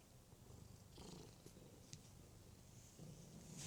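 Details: Cat purring in a deep, grainy rumble over a few seconds, with faint scratchy handling noises on top.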